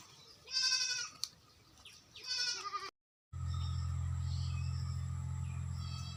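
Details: Farm goats in West Bengal, India, giving two nasal, quavering bleats about two seconds apart, followed by a brief silence and then a steady low mechanical hum.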